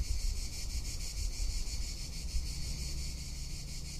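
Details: Tuscan summer cicada singing a steady, piercing electric buzz with rapid throbbing pulses, backed by constant low wind roar.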